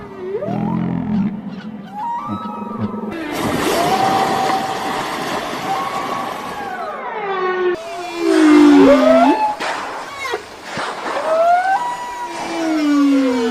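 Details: Whale making noise while feeding and fishing; sliding, moaning and whistled calls that rise and fall in pitch, some long swoops and upsweeps, with abrupt changes in background between segments.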